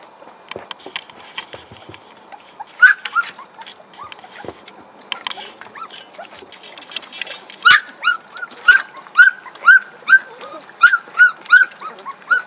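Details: Hungry puppies cry for food in a busy chorus of high, rising squeals and yelps, at first scattered, then in a steady run of about ten loud squeals, one every half second.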